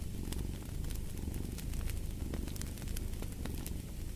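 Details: Deep, continuous purr from a cat, its low buzz rising and falling gently, with frequent crackles and pops from a burning fire over it.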